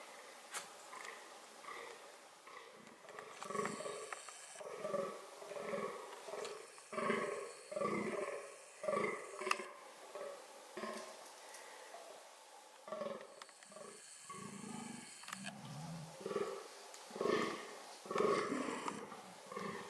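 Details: Fallow deer (Dama dama) during reproductive activity: rough, throaty calls repeated about once a second over twenty seconds, irregular in spacing, with bursts of rustling, hissing noise overlapping in places.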